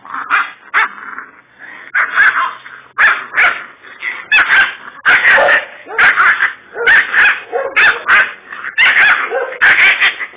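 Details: Kangal dog, described as a Kurdish fighting Kangal, barking repeatedly at about one bark per second, harsh and loud, with sharp clicks and knocks mixed in among the barks.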